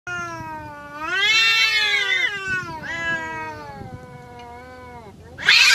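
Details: Free-roaming village cats in a fight, giving a long harmonic wail that swells and wavers, then a second lower drawn-out howl, ending in a sudden burst of hissing noise.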